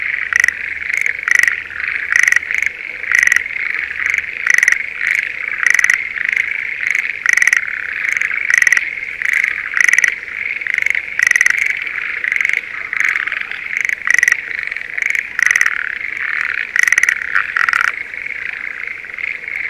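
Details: Spring rice paddy near Sendai, Japan, with Schlegel's green tree frogs calling in breeding season. Sharp, clicking, pulsed croaks repeat roughly every second over a continuous shrill chorus of many frogs. Calling stays steady throughout.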